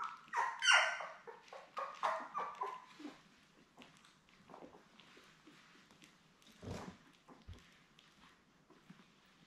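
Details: Belle's seven newborn Labrador Retriever puppies, born May 24, 2021, indoors with mother: a quick run of squeaky cries and whimpers over about three seconds, then softer scattered fussing and a couple of low thumps.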